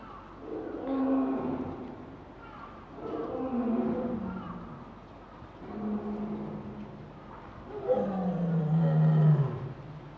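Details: Lioness at Higashiyama Zoo, Nagoya, 22 February 2023, calling in response to her son's voice from indoors: deep, moaning calls, each swelling and falling over about two seconds.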